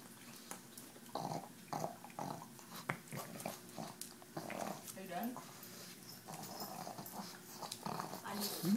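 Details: Female pug Tumble growls and snorts while eating EZ Cheeze from a KONG toy; rough, low grumbling bursts and wet smacks come in short runs, with a person's voice talking quietly in the background.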